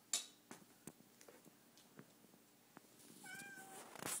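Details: Donka, a pet cat fixated on a bug indoors, gives one short harmonic meow near the end, preceded by scattered clicks and taps in a small quiet room.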